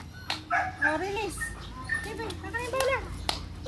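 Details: Eleven-month-old male Belgian Malinois during his first fetch training with a ball on a long leash; high, wavering whines and yelps rise and fall over several seconds, with a man's voice and outdoor background noise.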